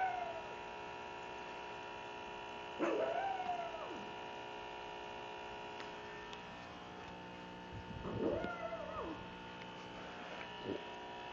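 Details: Pug Cupcake, a small female, grumbling at her sister in several separate bursts: a high whine near the start, then two rising-and-falling yowling whines a few seconds apart, all over a continuous electrical hum.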